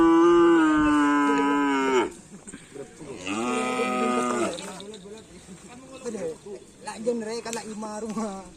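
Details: Cattle from a newly appeared karapan sapi (bull race) team: two long, loud, steady-pitched moos, the first about two seconds, the second shorter after a pause, followed by quieter voices and background noise.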